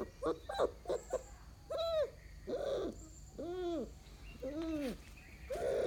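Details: Mudhol Hound puppies meeting their bigger family dogs for the first time give a string of high, arched whining cries. Each rises and falls, with short yelps at the start and faint voices in the background.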